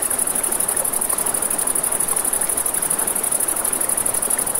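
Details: Crickets chirp at night near a river in a fast, even pulsing trill high in pitch, with the hiss of flowing water and light fire crackle beneath.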